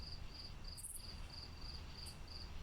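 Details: Crickets chirping at night outside a home in New York during firefly season, with frogs also calling; steady high pulsed chirps repeated about every quarter second over low background hum, with a couple of brief higher bursts.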